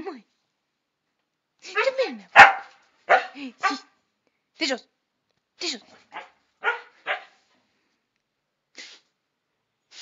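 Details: Chester and Laika, two pet dogs, argue back after being ordered off the terrace: a string of short barks and yelps, some with falling whiny tails, spaced irregularly with brief gaps and a voice calling commands.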